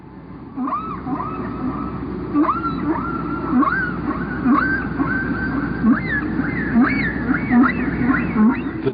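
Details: Whale song recorded in the Atlantic: rising and falling tonal moans and upswept cries repeated in a flowing sequence, with patterns that last about 15 minutes before repeating.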